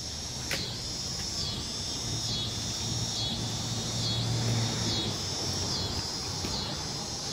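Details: Noisy crickets forming a dense, shrill high-pitched drone that swells and dips in a regular pulse roughly once a second, over a steady low rumbling background.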